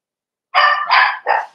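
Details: Playing Cavalier King Charles Spaniel puppies raised in a home pen let out three loud, harsh puppy barks, the first two long and the last shorter and falling.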